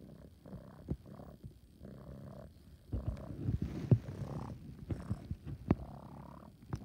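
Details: Purring from Coco the kitten, likened to an air pump: steady breathy rumbling pulses that grow louder and denser midway, with scattered clicks and soft rustling over the low drone.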